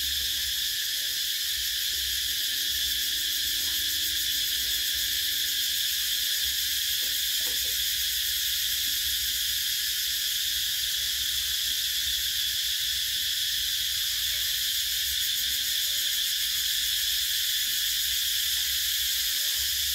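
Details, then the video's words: Summer cicadas in Vietnam make a dense, unbroken high-pitched whirring buzz, steady in loudness from start to end, with a low rumble faintly beneath. "Tiếng Ve Sầu kêu mùa hè"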